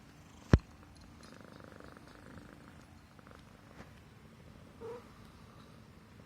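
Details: Himalayan Persian cat purring while stroked on the neck, content and feeling safe; a soft low rumble sits under a faint room hiss, with one sharp click near the start and a brief higher sound later.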